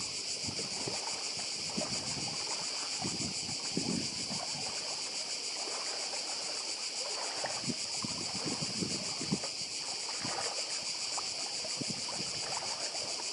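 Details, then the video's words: Croatian cicadas on the island of Badija keep up a long, unbroken, high shimmering drone with rapid pulsing, while waves break and trickle softly in the background. "Cykady i szum morza w Chorwacji"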